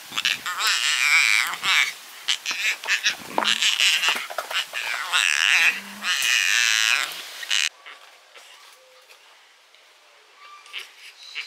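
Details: Rescued baby Yucatan black howler monkey, angry and yelling at other rescued monkeys. Harsh, raspy, broken screeches pour out in rapid bursts for about seven seconds, then fade into quiet with faint squeaks.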